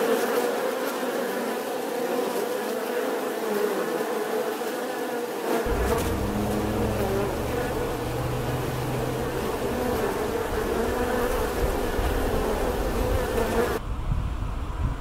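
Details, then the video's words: Bee giving a continuous droning buzz; a deeper rumbling hum joins partway through, then the low hum drops away near the end. "Tiếng kêu của con Ong || The sound and picture of the Bee"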